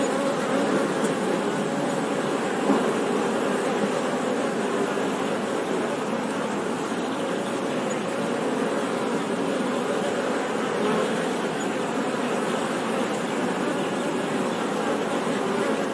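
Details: Honey bees buzzing in a steady, dense, continuous hum without breaks, the drone filling low and middle pitches evenly throughout and holding a constant level.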